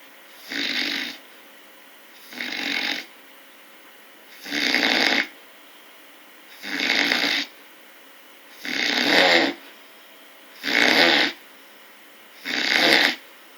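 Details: Steady bear snoring: seven even, raspy breaths at a regular two-second pace, each a dense noisy burst of similar loudness, with faint hiss between snores.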